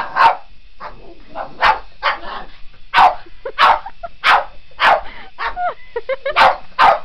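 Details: Otis, a Boston Terrier, barks while chasing a remote control helicopter: short broadband barks roughly every half second to second, with a steady high rotor whine underneath and brief whiny yips between.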